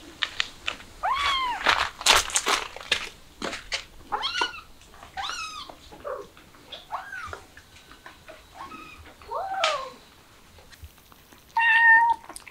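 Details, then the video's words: Kittens excited by the smell of chicken indoors, calling with repeated short arched and rising meows, some high and thin, interleaved with clicks and rustling; a brief steady high tone near the end. "Kittens Excited By The Smell Of Chicken"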